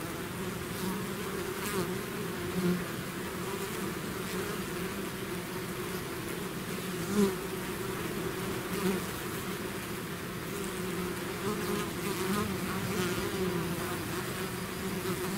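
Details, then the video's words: Swarming bees emerging from their hive make a constant deep drone, several humming tones wavering slightly, with single bees zipping close by and one brief louder pass near the middle. "bees therapy swarm natural buzzing sound"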